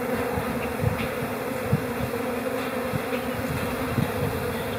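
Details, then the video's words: Honey bee colony in spring, calm and settled in April, giving a continuous low humming drone with a strong steady band and fuzzy low flutter, level and unbroken, with a few small clicks. "Bee Calm April Chatter"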